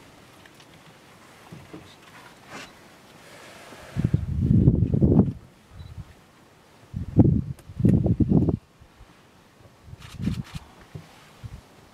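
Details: Low rumbling bursts of wind or handling noise with rustling, and no animal voice heard.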